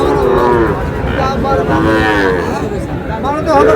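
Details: Sahiwal bull calves at a cattle market, being bought by a farmer from Dhaka. Drawn-out lowing moos with clear harmonic arcs rise and fall several times over a few seconds, against crowd chatter and shouting.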